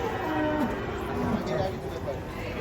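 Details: Large cattle brought by truck and waiting in line to be weighed give short, wavering moos, some falling in pitch, under ongoing human chatter.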